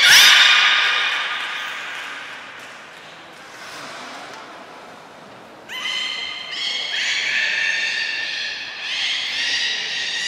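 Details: Captive beluga at Port of Nagoya Public Aquarium, 3 November 2023, filmed around feeding and a later play session. A loud harmonic squeal opens and fades, then from about six seconds comes a run of rising, strongly layered, whinny-like squeals.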